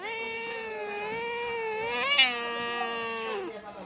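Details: Domestic cat that refused cake keeps meowing while the owner asks what song it sings; one sustained, steady, nasal meow over three seconds with a brief upward bump midway, then a falling end.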